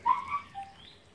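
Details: Miniature Schnauzer mother with her A-litter of puppies, making noise: a brief, high, thin whine that slides downward, followed by a fainter higher squeak trailing off.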